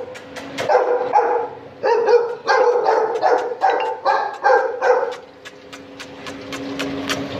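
A Chow Chow puppy gives a quick run of high, harmonic yips and short barks.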